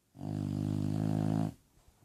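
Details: Sleeping bulldog called Lola giving a single steady snore indoors, a low droning buzz with stacked harmonics held for just over a second, then quiet breathing.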